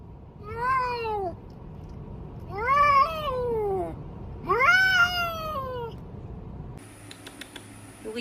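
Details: A cat meowing three times in quick succession, each call arching up and sliding down, about two seconds apart. A burst of clattering noise follows at the end.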